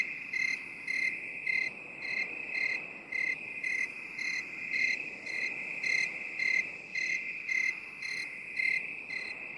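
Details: Shrill cricket chirps, binaural 8D mix for stress relief. Crisp bursts recur about once a second, with some slightly louder than others, over a continuous high trill.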